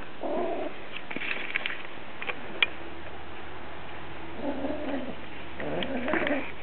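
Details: Stormy, a lynx point Siamese cat in heat, tries to entice Dobby the ferret. She gives wavering, drawn-out harmonic yowls at the start and again in the last two seconds, with soft shuffling and a low hum in between.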